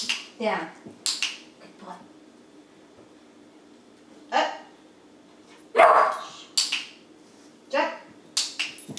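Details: An 11-week-old German Shepherd puppy learning tricks, told to speak on command: a loud, sharp bark rings out mid-clip amid a man's spoken commands and praise, with softer yelps and voices scattered before and after.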